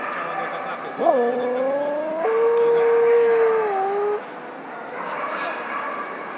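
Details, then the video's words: Justus, a Tibetan Terrier, gives a wolf-like howl: a rising yelp, then a sustained level tone of about two seconds that dips at the end, with people talking around it. "Tibet Terrier"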